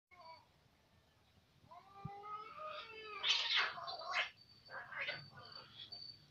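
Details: An Angora cat fights a village cat: drawn-out wavering yowls break into harsh hissing and spitting bursts.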